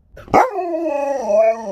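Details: Pet Alaskan Malamute Sherpa, indoors and addressed by a smart speaker, opens with a sharp bark that flows straight into a sustained, harmonically rich, talking-style howl, gently rising and falling in pitch.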